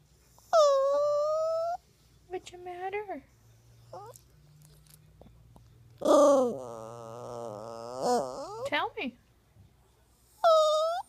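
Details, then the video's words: Crying poodle puppy giving drawn-out moaning whines, several short yelps and a long wavering wail, while a woman comforts it and asks if it is sad. "Crying talking poodle dog"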